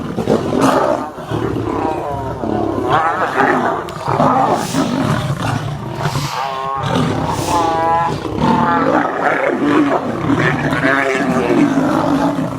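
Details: Lions, a lion and lioness, fighting: harsh, angry roars and snarls overlap almost without pause, rough rasping bursts with wavering tonal growls rising and falling through the whole stretch, loud and close.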